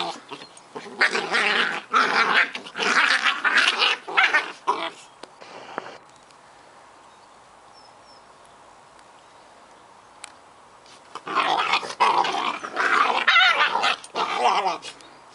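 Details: Scottish Terrier pups Bonnie and Basil at play, trading rapid, rough growls and snarls in dense bursts for about five seconds, a quiet gap, then another noisy scuffle of growling from eleven seconds on.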